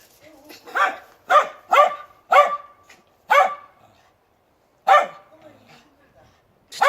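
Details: Dog giving single loud barks spaced about half a second to a second apart, some with a brief tonal ring after them, separated by quiet gaps, with a faint whine at the start.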